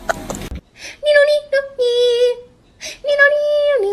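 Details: Domestic cat meowing indoors: a string of drawn-out, tonal meows, the first few short and steady, the last longer and dropping in pitch at its end, after a brief burst of voice and noise.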